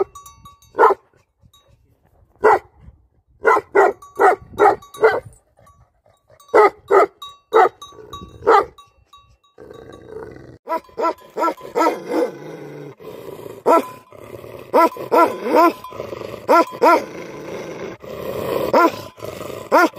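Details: Livestock guardian dogs barking outdoors: sharp, short barks in irregular bursts, some in quick pairs and triplets, becoming denser and overlapping in the second half over a rougher background noise.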